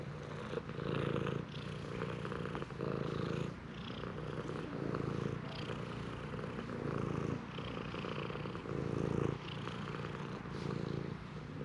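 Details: Shrine stray cat eagerly demanding strokes, a loud close purr rising and falling in breath-length pulses roughly every second, low and rumbling throughout.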